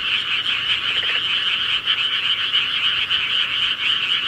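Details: Countryside frogs calling at night, a dense unbroken chorus of rapid pulsed croaks massed in a bright mid-high band, steady in loudness throughout, with no other clear sounds.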